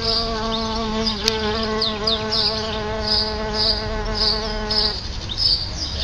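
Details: Solitary bees flying at their nest beside a house front door: a continuous low, even buzz holds for about five seconds, then stops abruptly, leaving background hiss; bright bird chirps repeat overhead throughout.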